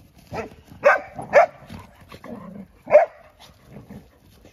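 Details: Golden Retriever youngsters playing, with three loud sharp barks separated by softer growling and grumbling sounds, about four and a half seconds in all.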